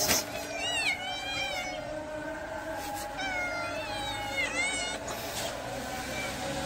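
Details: Pregnant cat meowing repeatedly, high wavering meows that rise and then fall, coming in clusters about every second or two, over a constant low hum.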